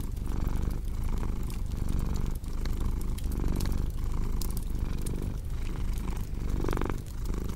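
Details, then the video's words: Steady rumbling purr from a cat, rising and falling with inhale and exhale about every 0.8 seconds, layered over the snapping and crackling of a fireplace in a calming ambience meant to ease insomnia. "Purring Cat with Cozy Crackling Fireplace Sound"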